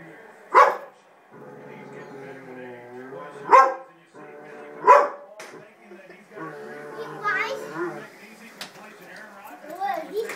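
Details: Dog barking at a baby seat, egged on by a person: three sharp, separate barks spaced roughly one to three seconds apart, with a person's voice and a low hum between and after them.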